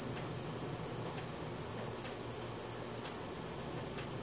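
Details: Crickets chirping after dark, Samsung Galaxy S4 recording: fast regular high-pitched pulses in a sustained trill, faint ticks and low hum behind.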